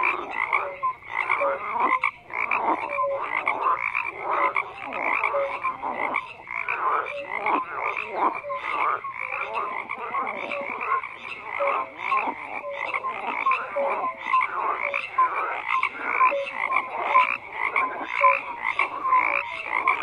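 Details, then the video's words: Frogs croaking in a dense, continuous chorus, many overlapping rough croaks and short pulsed calls layered together, with brief clear tonal notes now and then; no other sounds stand out. "FROGS CROAKING"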